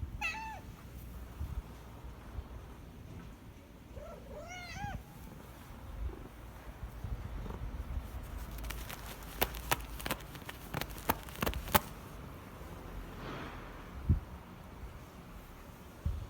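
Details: Once a stray that visited a parking lot daily to eat, now a house cat since November 2020, giving two short downward-sliding meows early on, followed by a run of sharp clicking and tapping noises.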